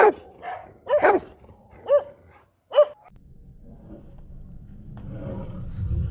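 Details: Rottweiler giving four loud, deep barks with rich harmonics, about one per second over the first three seconds, followed by quiet and a low rumbling background noise that slowly swells.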